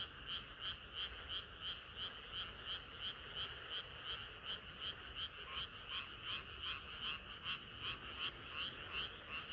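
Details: Frogs chorus through a hot summer night, their sharp, evenly spaced croaks beating nearly three times per second in a fairly regular, insistent rhythm.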